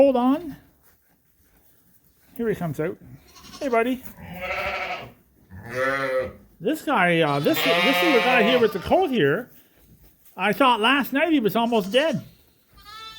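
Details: Mixed groups of Suffolk lambs racing around a barn at Ewetopia Farms after an open gate let them escape. Shaky, wavering bleats overlap one another, including one long strained cry, separated by brief silences.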